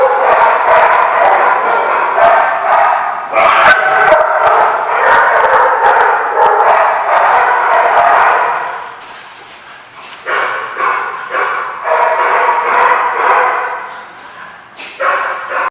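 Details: Several dogs bark steadily at The Barking Lot, a dense overlapping chorus of sharp barks about two per second, with a brief quieter lull midway before barking resumes.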